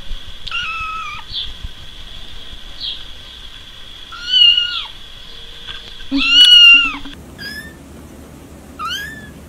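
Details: Several kittens squeak out short, high meows at irregular intervals, some faint and some loud and wavering, against a steady high-pitched whine.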